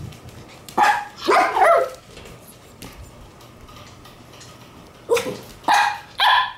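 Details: Black Shiba Inu puppy born June 27, on the day it is brought to its new home, giving short sharp yips and barks in two bursts, first around one second in and again near five seconds.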